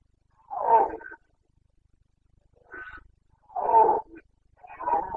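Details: Carpathian stag roaring in the Bucovina mountain forests at rut, 29 September 2022: loud, rough, throaty bellows, each about half a second long, alternating with a softer, higher moan against a quiet background.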